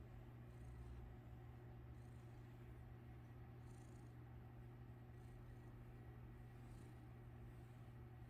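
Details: A domestic cat purrs steadily, a low continuous rumble with no breaks, while someone plays with its tail.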